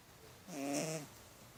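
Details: A pet cat sleeping on his back lets out a single short, rasping snore about half a second long. The snore swells and fades against a quiet indoor background.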